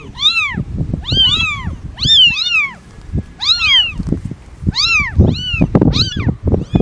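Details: Quick, arched meows in close succession, roughly a dozen in seven seconds, some paired or overlapping as if from more than one cat, over low thumping and shuffling noises.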